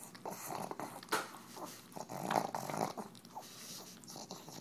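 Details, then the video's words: Pug eating soft cheese out of a KONG toy indoors, making awful snorting, growly eating noises in irregular bursts of breathy grunts and smacking, with faint room echo. "Pug Eating Noises"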